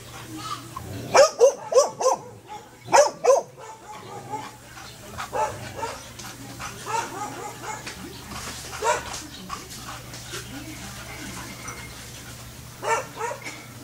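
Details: Belgian Malinois stud male of a rare colour, sire of a litter, giving a few loud, sharp barks in quick bursts near the start, then quieter vocal sounds and background murmuring with a steady low hum throughout.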